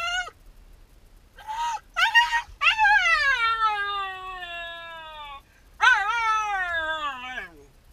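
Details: Left alone while its owner runs an errand, the Shiba Inu Yamato yelps in short bursts, then draws out long whines that droop in pitch, followed by another quavering whine.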